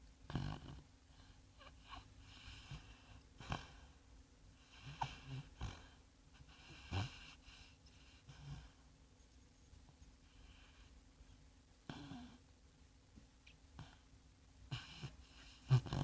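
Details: Sleeping sand-coloured Labrador Retriever named Bongo snoring like a piglet: low, wheezy breaths recurring every one to two seconds, quiet throughout with a slightly louder rasp near the end, in a small room.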